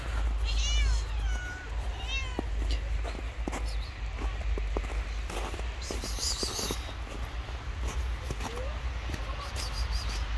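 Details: Hungry homeless stray cats on the street after a snowfall, meowing: two drawn-out, wavering meows near the start and a short rising one later, over steady low street rumble and faint voices.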